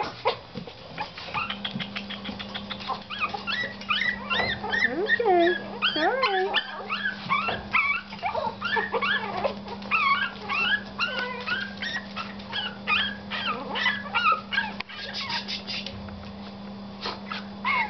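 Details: Five seven-week-old Yorkshire Terrier puppies, four males and one female, whining and yipping together: a dense stream of overlapping high, wavering, sliding whimpers. A woman speaks and there is a steady low hum.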